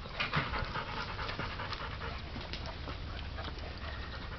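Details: Seven-week-old puppy panting while playing in warm weather: soft, breathy huffs repeated rapidly and steadily throughout, quiet and close, with faint background hiss and no other clear sounds.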